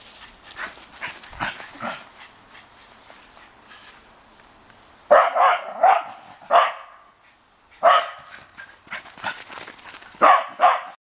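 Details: One-year-old Cairn Terrier, a rescue dog in Saint Paul, Minnesota, playing in the snow just after grooming in February; bursts of sharp, yappy barks in clusters of three to four, with rustling and a faint tone early on.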